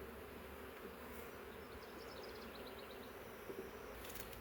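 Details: Massive honey bee swarm, thousands of bees, caught in a swarm trap after leaving a wild hive kept in the woods for three years; a dense, steady droning hum with no breaks and faint rustling on top.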